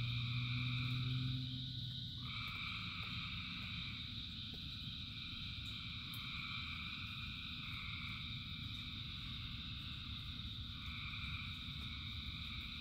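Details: Frogs by the thousand calling during rain, a loud deep croak opening before the chorus settles into rapid, fairly regular trilling in layered pitches over constant rain.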